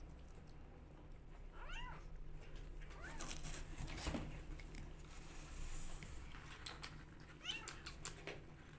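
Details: Rescue kittens jostling for bottle feeding give several short, thin mews that rise and fall, spaced a few seconds apart, over a steady low hum and some handling noise indoors.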